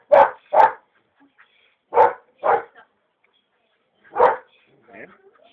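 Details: Belgian Malinois puppy barking while a trainer builds its grip on a bite pillow during a short session; five punchy barks in uneven pairs, then a final single one, with faint scuffling between.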